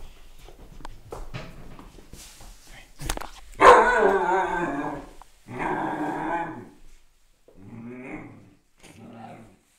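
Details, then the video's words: Young Siberian Husky pup grunting and whining while kept outside against its wishes, with several drawn-out harmonic moaning calls separated by short pauses, the first loudest, and a person speaking beforehand. "Husky Pup Grunting"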